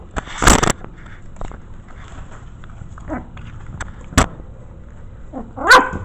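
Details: Five 5-week-old Maltese mix puppies in their corral, curious about a newly added camera. Short rising then falling whines and yelps come near the third and sixth seconds, between loud clattering knocks and thuds.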